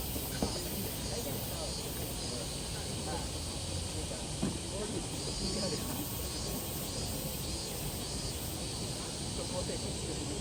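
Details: Summer chorus of minmin cicada filmed in Tokyo on 12 August 2023 near Tokyo Big Sight: continuous shrill buzzing that swells in regular pulses, mixed with constant urban traffic noise.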